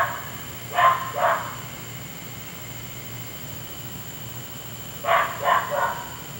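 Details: A neighbour's dog barks at night, part of an hour of noise that has kept the household awake. Two sharp barks come close together, then about four seconds of quiet, then three quick barks over a steady low background hum.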